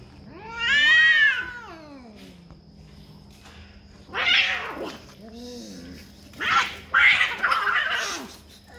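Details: Cats fighting to defend territory: a long arched yowl, then low wavering moans, broken by harsh, noisy hissing or spitting bursts near the end, with a faint background hum.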